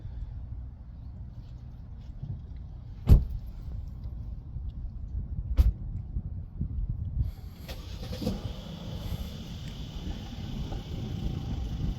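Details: Low rumbling traffic and vehicle noise with two sharp knocks and a later hiss, with no animal voice.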